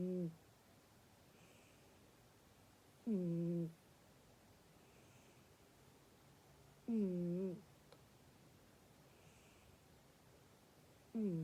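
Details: Domestic cat snoring indoors, each snore a low, steady, humming tone lasting under a second, repeated roughly every four seconds, with faint breathy sounds in the quiet gaps between.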